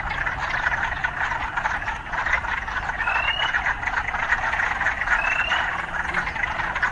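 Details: A thick, continuous croaking chorus of urban frogs, many voices blending into a buzzing wall of sound, with a couple of faint rising notes drifting over the top.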